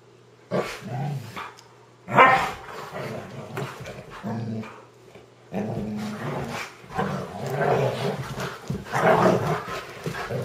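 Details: Early Saturday morning play: two German Shorthaired Pointers wrestling on a blanket trade low, throaty growls and a few sharp barks in uneven bursts, separated by quieter gaps and some shuffling.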